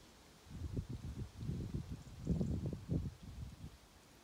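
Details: Ovenmitt, a male domestic cat lounging on a garden table at a farm in County Kilkenny, Ireland, on international cat day, purrs in pleasure while kneading with his paws; low, rumbling pulses swell and fade in bursts for about three seconds.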